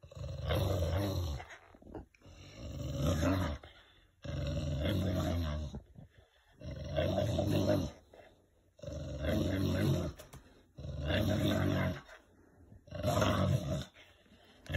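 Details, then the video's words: An English bulldog growling, said to growl like a V-8 engine during play: deep, rough, engine-like rumbles, each lasting about a second and a half, repeated roughly every two seconds with short breaths between. "My Bulldog Growls like a V8 Mustang"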